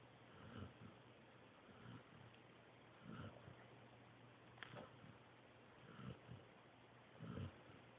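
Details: Joby, a pointer pup, asleep indoors: soft, low, breathy snores in short bursts about every second and a half, over a steady faint room hiss.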